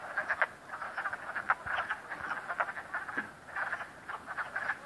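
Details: Frogs croaking at Cranberry Lake, a dense chorus of many callers with short, raspy croaks overlapping steadily, mid-pitched and repeated in quick pulses throughout.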